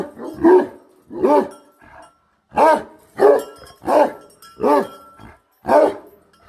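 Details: A Bhote Kukur guardian dog barks loudly and irregularly: seven rough, resonant woofs, with gaps of up to a second and a half between some of them.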